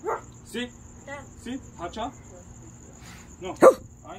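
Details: Puma, an eight-month-old Presa Canario still learning how to bark, recorded July 2021: short, high yelping barks spaced about half a second apart, with a human voice talking alongside.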